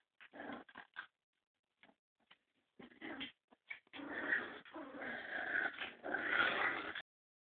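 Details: A litter of English Springer Spaniel puppies, about five to six weeks old, at a house. Quick, rough little yips and grunts come in choppy bursts, then build into longer, noisy play-growling with squeaky yelps on top.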